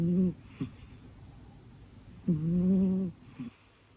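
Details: Mina, a pet cat, snoring in her sleep: a short nasal snore, then a longer, steady, droning snore lasting almost a second, with a few faint snuffles between.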